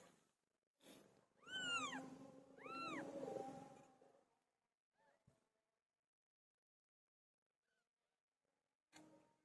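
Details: Domestic cat Pilo, a pet, around the time she gave birth. Two clear, arched meows about a second apart, each rising then falling, with strong harmonics. A few soft clicks and rustles follow in otherwise quiet surroundings.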